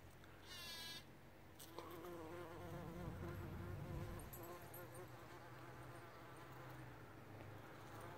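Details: Bumblebee working a John Davis Explorer rose at Grande Prairie, Alberta, Canada: a continuous low hum with layered overtones, a brief higher whine near the start, and rumbling background noise underneath.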